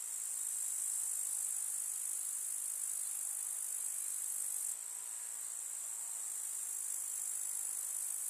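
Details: Grasshoppers of a summer meadow produce a relentless high, hissing chirr, evenly sustained, with a slight drop in loudness about halfway through and no other clear sounds.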